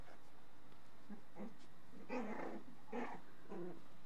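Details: Shiba Inu mother in protection mode over her 27-day-old puppies in an indoor whelping box, guarding after a fence was removed and other dogs came closer; low, rough growls in about four short bursts under a second apart.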